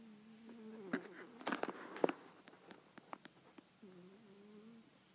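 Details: A sleeping, dreaming kitten snores softly. A steady, faint nasal tone opens and closes the recording, with scattered clicks and rustles in between.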